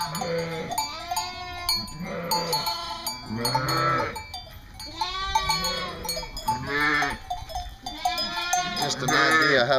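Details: Flock of East Friesian dairy sheep at a North Carolina farm calling repeatedly, short quavering bleats overlapping at mixed pitches roughly every second or two, with background music and a man's voice nearby.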